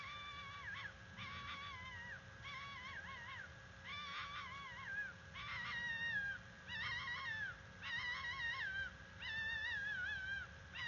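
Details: A female red fox gives harsh, wavering mating-call screams in bursts about every second, each rising and falling, over a steady low hum; recorded at the NCTC bald eagle nest, November 17, 2021.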